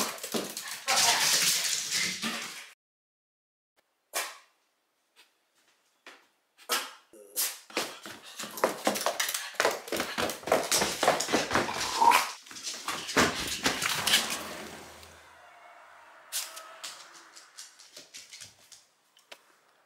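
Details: A three-year-old female small Shiba Inu in Fukuoka gives sharp, broken barks in uneven bursts at year's end, wary of people shouting outside.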